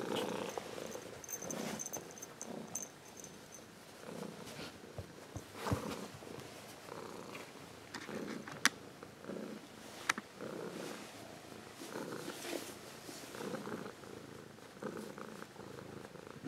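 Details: Purring adult Ragdoll cat, grown from a kitten, recorded up close indoors: a steady low rumble that swells and fades in breaths about every second or two, with occasional sharp clicks and a faint high tone early on.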